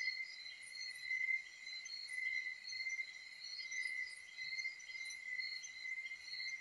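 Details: Crickets heard from a rural hut in the provinces of the Philippines: a steady, unbroken, shrill ringing tone with a higher shimmering trill layered above it, forming a continuous insect chorus.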